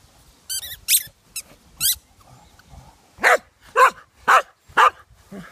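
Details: Ollie, a pet dog, calls for someone to play after hiding with his squeaky toy: a few sharp high squeaks of the toy first, then five loud, evenly spaced barks about half a second apart.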